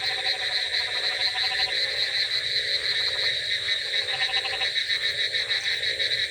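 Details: Frogs croaking on a rainy night: a dense chorus of pulsed, rattling croaks overlapping continuously, over a steady high insect-like hum and constant background hiss.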